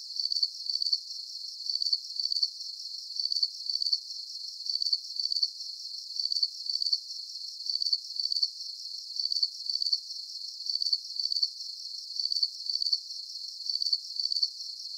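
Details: Crickets chirping as a sleep aid: a long, very regular series of high, rapid pulse bursts, each a tight click-trill, repeating steadily throughout with only soft background hiss beneath.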